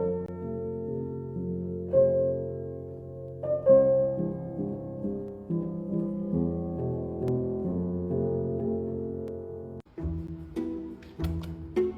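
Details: Gentle piano music with sustained chords plays throughout, broken by a short pause near the end, and no animal sound.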